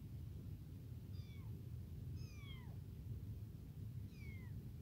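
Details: Three high, descending meows about a second apart from a tiny, newly abandoned kitten crying non-stop for its mother and hungry for milk; a low steady rumble fills the background.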